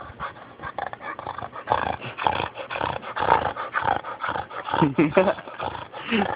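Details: A friend's dog snoring, a rough, breathy rasp rising and falling in bursts about once a second, with people talking close by over it.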